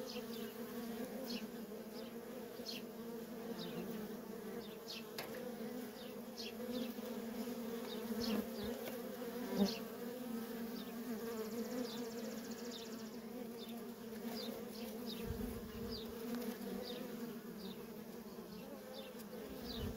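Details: Worker honey bees stream nonstop at a feral colony, their continuous droning buzz unbroken for twenty seconds, with repeated faint high chirps scattered across it and one sharp tap midway.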